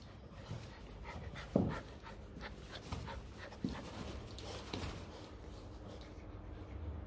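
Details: Two Rottweiler puppies, Sumo and Nemo, littermates just over two months old, excitedly chasing a phone camera indoors; soft rapid panting breaths as noisy puffs, a few sharp knocks and thumps, quiet human talk in the background.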